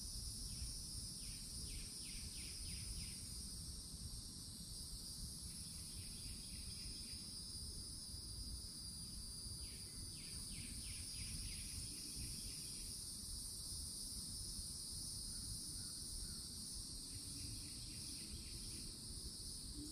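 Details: Cicadas on a summer day at the forest edge in Florida, near an old oak tree. A continuous shrill, high droning hum holds steady throughout. Short pulsed rattling bursts recur every few seconds over a low background rumble.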